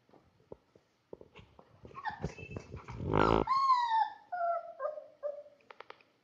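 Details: Labrador Retriever puppy playing: soft scattered clicks and thumps build into a short growl-like burst, then whining, whimpering calls that slide downward in several drawn-out notes, ending with brief faint taps.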